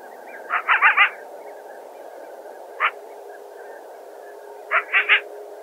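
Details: A coyote in grassland east of Calgary barks at a person who came upon it, harsh, raspy barks in quick bursts of three or four with a lone bark between.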